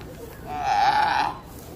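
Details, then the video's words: Natoa, a female baby sea lion at the Marine Mammal Rescue exhibit, B.C. Wild Coast, Canada, answering a person at the aquarium: one drawn-out, nasal bleat about three quarters of a second long, steady and slightly wavering, rising out of quiet background. "Hungry Hand talks with Baby Sea Lion!"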